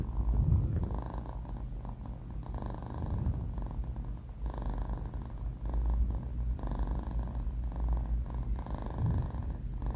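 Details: Banh Mi, a sleeping four-month-old male pet cat, snores indoors: low, rough breaths swell and fade in a steady cycle about every two seconds, with a soft raspy midrange texture on each exhale.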